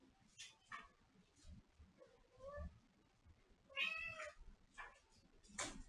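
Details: Pet cat in a small indoor space letting out a couple of soft, tonal meows, the second one higher and more nasal, against low background rustling and faint voices.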